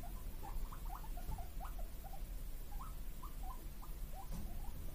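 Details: Two guinea pig brothers, born 31 March 2022, calling "puipui" indoors because they want vegetable treats: a steady run of short, squeaky chirps that rise and fall in pitch, several per second for the whole stretch, over a low background hum.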